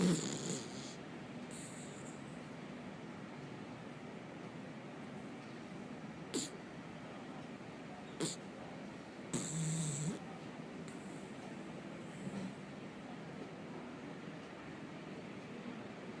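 A Dachshund snores in its sleep, giving a quiet, low, rumbling drone that runs almost without pause. A few brief sharp knocks and rustles cut through now and then.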